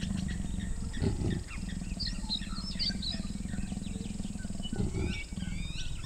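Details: Wild leopards, a large male and a female, mating in a sausage tree in Botswana's Moremi Game Reserve beside a flood plain: steady low rumbling growls with two harsher rasping bursts, while birds chirp and twitter above.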